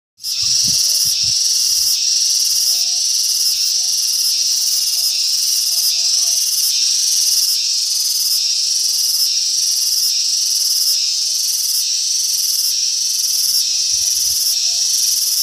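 A cicada sings a loud, continuous shrill buzz that pulses steadily about twice a second.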